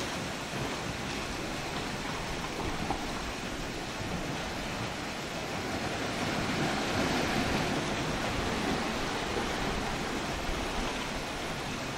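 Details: Steady roar of surf and wind with no animal calls heard.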